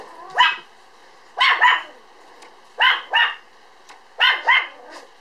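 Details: A 3.8 kg Standard Poodle puppy, born 1 July and filmed 5 September, barks in quick doubled pairs, a sharp high yap followed at once by a second, with a pair about every 1.4 seconds.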